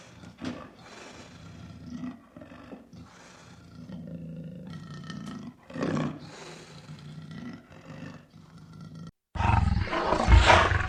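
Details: Lion roar series of low grunting moans, rhythmic and throaty, ending in a louder harsh burst after a brief silence.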